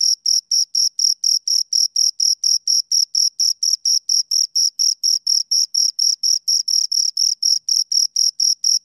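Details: Pair of crickets chirping right at the microphone: loud, high, ringing pulses in a very regular train, roughly two per second, with no other sounds.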